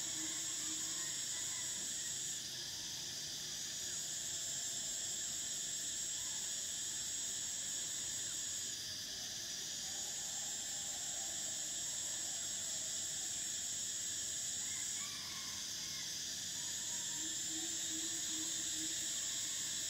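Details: Cicadas singing in summer: a steady, shrill, high buzzing drone that holds almost unbroken for twenty seconds, with brief dips in intensity around three, nine and fifteen seconds and faint lower sounds beneath.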